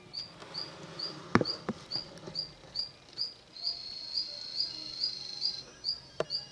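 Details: Mantella ebenaui adults and froglets feeding together; brief high chirps come at an uneven pace, with one drawn-out steady note in the middle and a few dull knocks and taps.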